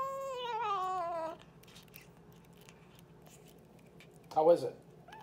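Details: Boots the pet cat talking indoors: one drawn-out, wavering meow rich in harmonics fills the first second and a half, followed by quiet room tone and a short low burst near the end.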